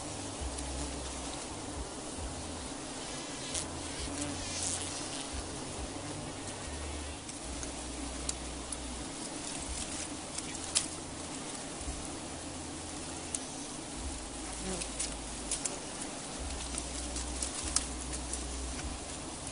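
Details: Wild honey bees during wild honey harvesting: a steady, low droning buzz runs throughout, broken by scattered clicks, taps and rustling, with faint high insect noise in the background.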